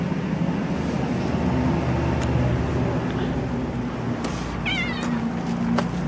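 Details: Kitten found on the street with other cats, giving a short wavering meow near the end over steady low traffic-like rumble and background noise.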